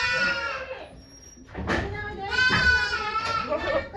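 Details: During the birth of two kids to the goat Okayu at Yoshigake farm, 3 May 2023, a long bleat fades out, then two more harmonic bleats follow amid human chatter.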